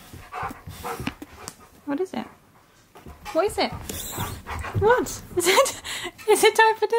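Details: Male Siberian Husky at home arguing with his owner over his dinner: rising and falling whiny woo-woo sounds, harmonically rich and pitched up and down, overlapping a woman's talking.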